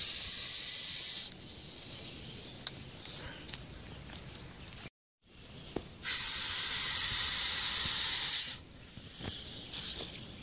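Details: Wild hognose snake met while field herping in the Kankakee Sands region of northeastern Illinois in 2021, faking death after being handled. Loud, breathy broadband hissing in long bursts, first about a second, then roughly two and a half seconds, with short quiet gaps between.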